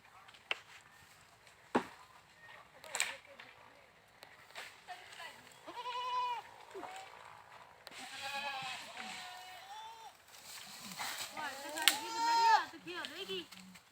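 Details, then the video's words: After scattered knocks and clicks, goats give several wavering, quavering bleats, some overlapping, with louder cries near the end. "Goats Funny Sounds"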